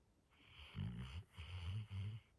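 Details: A Labrador Retriever snores with low, rumbling breaths that rattle in short bursts.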